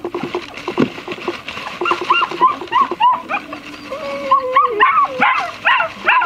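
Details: Black-and-tan German Shepherd puppy siblings, brother and sister, giving thin rising and falling whines and short yelps, some sliding notes drawn out, with a low hum underneath.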